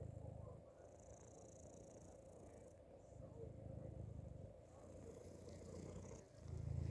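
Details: A cat hidden inside a hoodie gives soft, low purring bouts that swell and fade every couple of seconds, the loudest burst at the very end, against a muffled, rustling background.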